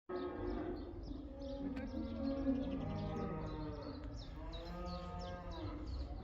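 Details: Black cattle in the Netherlands going back out to pasture for the spring cow dance (koeiendans): many overlapping drawn-out moos, some rising and falling, layered continuously over a low rumbling background.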